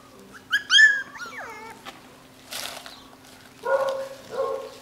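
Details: Nine-week-old Jackateese puppies, a Jack Russell and Maltese cross from a home-bred litter. High, wavering whines slide up and then fall, followed by a short rustle and two clipped, nasal yelps.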